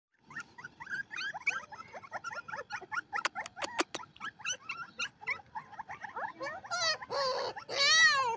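Siberian Husky puppies keep up a busy stream of high, squeaky whines and yips.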